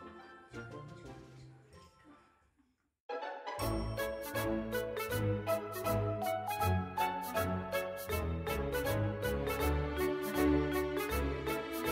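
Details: Quiet sounds give way after three seconds to bright, jingling music with a steady beat; no animal sound is heard.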